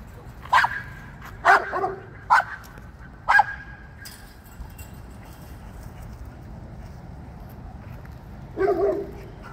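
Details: Dog barking while chasing squirrels: four sharp barks spaced about a second apart, a long quiet stretch of background noise, then a final lower bark near the end.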